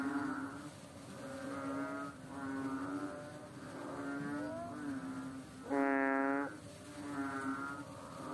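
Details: A fat frog on a slippery rock, a small water frog, gives a series of soft nasal droning notes and one loud held bleat near the end, other similar voices humming beneath.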